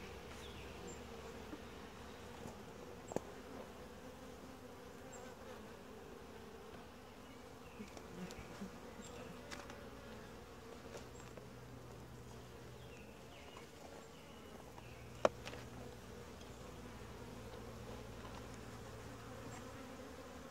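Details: Honey bee colony during a typical hive inspection, described as quiet, gentle and calm; a steady low droning hum of many bees runs throughout, with a few faint clicks and taps from handling the hive.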